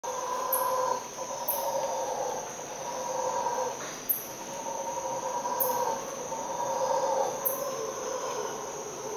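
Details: Howler monkeys, heard from a bathroom around 5–5:30 am, give long, droning roars that swell and fade over a steady insect hum.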